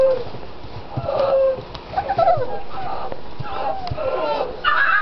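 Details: Six-week-old puppies whimpering: scattered squeaky whines that slide up and down in pitch, some short and some drawn out, with gaps between them over a steady background hiss and low thumps.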